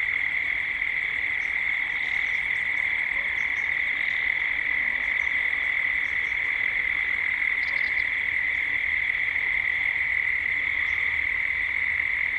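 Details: Cicadas at dusk in Gippsland, Australia, recorded as a 3D ambience: a steady, shrill, unbroken drone holds one high pitch throughout, with faint scattered high bird chirps above it, including a brief cluster near eight seconds.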